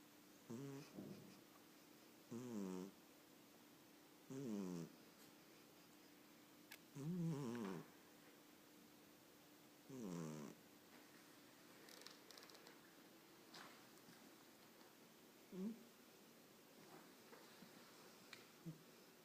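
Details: Sleeping Chinchilla Persian cat dreaming and snoring in a quiet room, giving rhythmic nasal snores roughly every two to three seconds, each a short buzzy wavering rasp, fading to softer breaths near the end.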